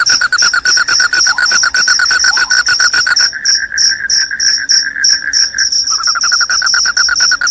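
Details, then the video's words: Loud cricket chorus: high, sharp chirps repeated rapidly over a dense, lower pulsed trill that steps slightly higher after three seconds and resumes after a short drop near six seconds. "SUARA JANGKRIK PENGUSIR TIKUS, JANGKRIK JANGKRIK SUARA NYARING BIKIN NGANTUK"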